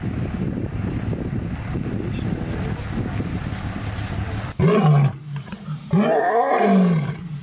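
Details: Male tiger at an animal refuge, one of its most vocal cats, which loves to talk to anyone listening; after several seconds of rough background noise come two loud, deep, moaning calls about a second apart.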